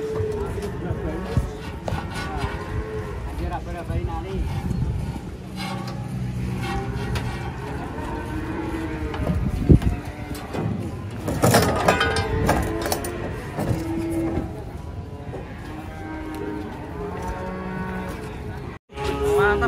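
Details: Cattle coming down off a truck produce scattered low moos amid engine rumble, clanking, people talking and a horn-like toot.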